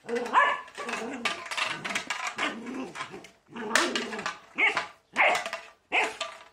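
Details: Border Collie at play against a broom, giving growly grumbles that break into loud sharp barks, with rustling and scraping between them in a small room.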